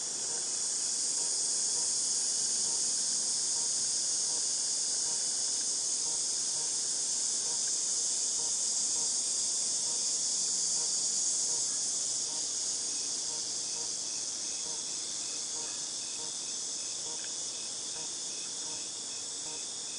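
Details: A long stretch of cicada sound from August 2018: an unchanging, piercing high hiss like ringing in the ears, easing a little in loudness during the second half.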